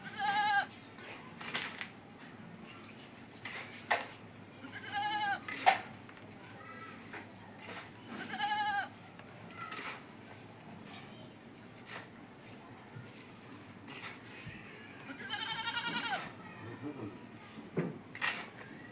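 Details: Farm goat having fun while eating green fodder bleats repeatedly, short wavering cries roughly every three seconds, amid crunching, rustling and clattering sounds.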